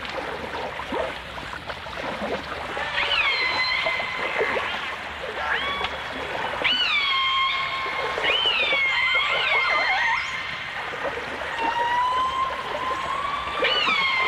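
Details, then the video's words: Dolphin and orca vocalizations from a 1989 stereo recording: several long, harmonic-rich whistles and calls, some rising then levelling off, others sweeping upward in bursts. They repeat over a steady background of hiss and crackle like running water. "The Enchanting Sounds Of Dolphin Song (Dolphins & Orcas)"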